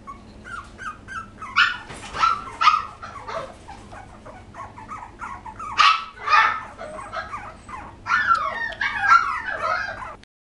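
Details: Several poodle puppies filmed in 2012 yip and whine in loud bursts, sharp squeals clustering every second or two between quieter whimpering, before the sound cuts off abruptly.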